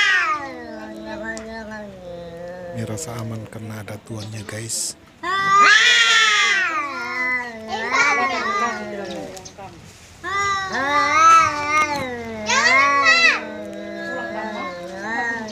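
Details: House cat squaring up and trading threats with a visiting cat: long, warbling, rising and falling caterwauls in several loud bursts, with harsh strained peaks and brief pauses between outbursts, indoors.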